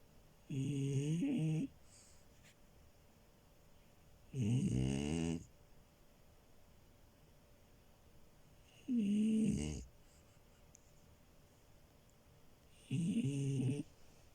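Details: Sleeping French Bulldog puppy Milo snores in a small room: four strong, rough, buzzy breaths roughly every four seconds, each lasting about a second, separated by near silence.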